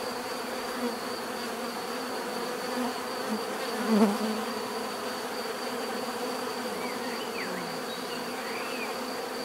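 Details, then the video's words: Natural bee buzzing as a soft continuous drone; near the middle a single bee flies close in a short louder burst, and faint bird whistles rise and fall toward the end. "bees therapy relaxing natural buzzing sound"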